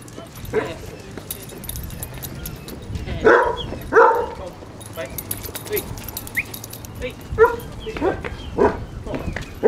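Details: Basset Hounds, part of a pack of 24 walking five miles along Burnham and Berrow beach in Somerset on 2 February 2014; short harmonic barks come every second or so amid people talking and beach wind.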